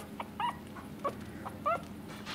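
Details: Two-week-old Pomeranian puppies slipping on a counter top, unable to walk for lack of traction; three short, high, squeaky whimpers with bent, rising pitch come at roughly half-second gaps over a steady low hum.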